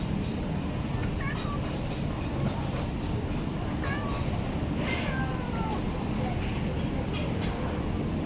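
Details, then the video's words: Hungry stray cat being fed in a village in Bangkok, Thailand: a few short rising-falling meows over steady loud traffic-like rumble and background noise. "Hungry Cat"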